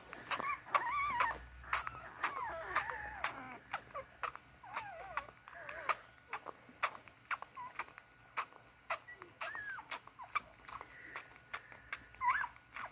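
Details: Beagle puppies work their way to their mother to nurse: brief clusters of thin whines and squeaks, sparser after the first few seconds, over repeated sharp clicks and rustling movement.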